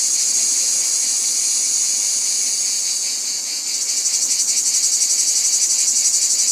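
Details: Cicadas keep up a smooth, hissing high drone, then partway through the sound changes to a distinctly pulsating buzz that throbs several times a second and grows slightly louder.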